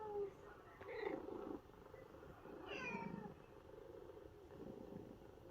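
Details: Domestic cats of a New Zealand ginger cat family listen to a recording of a housemate's sad meowing from a vet trip; a faint, short descending meow sounds midway, with soft low murmurs in a quiet room.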